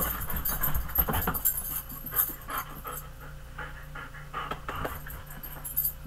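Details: Big pet dog panting hard, rough breathy bursts repeating roughly two to three times a second with uneven rhythm over a steady low background hum.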